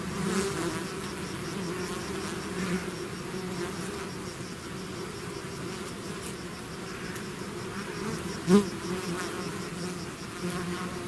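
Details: Bee swarm emerging from its hive, a steady low hum of massed wingbeats with faint higher tones, and one loud bee zipping past the microphone late on.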